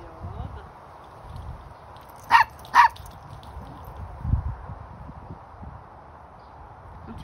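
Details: A young male Pomeranian, born August 2021, gives two sharp, high-pitched barks in quick succession over a quiet background hum.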